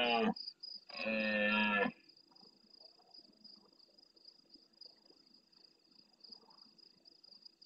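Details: Red deer stag in the Doñana marshes of Andalusia, Spain, bellowing early in the night near the camera in reply to distant roars: a brief blast, then a deep, harsh roar about a second long, followed by faint far-off sounds and constant insect buzzing.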